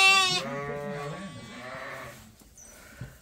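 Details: A farmed sheep, waiting at feeding time, lets out the tail of a bright bleat, followed by a lower, softer bleat and faint barn noises.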